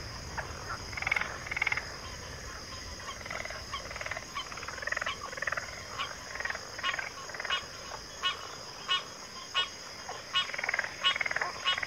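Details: Frog chorus from a backwater: scattered rattling croaks and short clicking pulses come from several callers at once, irregular and overlapping, with a continuous shrill drone in the background.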